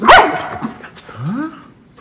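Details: Miniature Schnauzer, one of two brothers, excited after a haircut and bath: a sharp high bark at the start, then a softer rising whine near the end, with a woman talking and faint background music.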